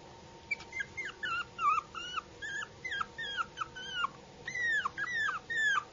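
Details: Puppy whimpering in a quick series of high, bending whines that rise then fall, about two per second, some cries sliding downward, with a faint steady hum underneath.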